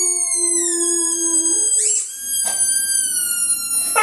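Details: Butch the dog howling at his loud squeaky ball, believed to think another dog is stuck inside; a steady drawn-out tone that steps up in pitch, then thin high squeaky whines and brief rasping bursts follow.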